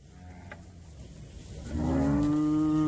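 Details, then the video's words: Nelore cattle on a farm, cows being called and moved to wean their calves; after a quiet stretch with faint background noise, one loud, steady, low moo begins, rising slightly and then holding level with rich harmonics until the end. "Chamando o gado Nelore"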